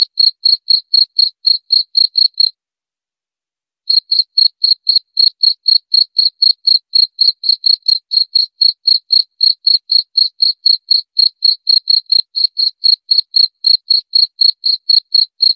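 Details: Cricket (jangkrik) chirping in a steady, even series of short high pulses, about four per second, with one brief pause of over a second near the start before the pulses resume unchanged; no other sounds.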